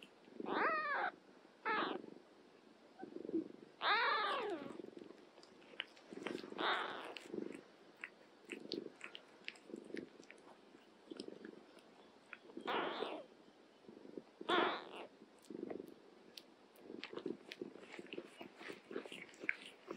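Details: Indoor cats, an older one tending a young mother cat and her kittens, give several drawn-out, wavering meows, some rising and falling, spaced across the recording between soft chewing noises and quiet clicks.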